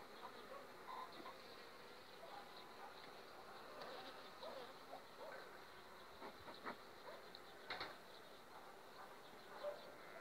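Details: Honey bees in an overwintered colony developing on five frames, two weeks before acacia bloom: a soft, steady, diffuse hum fills the recording, broken by scattered faint ticks and brief louder bursts.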